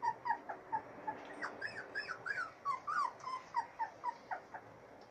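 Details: Siberian Husky puppies, three weeks old, out in fresh air for the first time, giving a rapid run of short, high squeaky whimpers and yelps, several overlapping, repeated about every quarter second.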